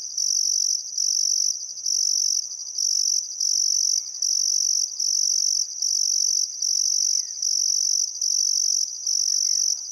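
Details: Crickets by the Barcoo River, Welford National Park, Queensland, on a still summer afternoon at sunset: rhythmic high shrill pulses about once a second, with faint thin bird whistles in the background.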